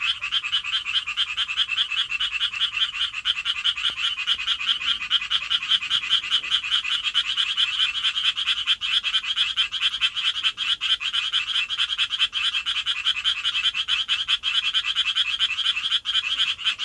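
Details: Courting Japanese tree frog in an urban setting, throat puffing out like a balloon as it calls; a long, unbroken stream of fast, grating high pulses keeps going for about seventeen seconds at an even loudness.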